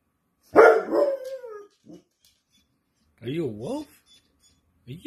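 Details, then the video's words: A pet dog howling while the owner jokingly calls it a wolf: a loud howl that slides downward in pitch, then a shorter wavering, yodel-like howl, with a person talking nearby. "WOLF HOWLS!!"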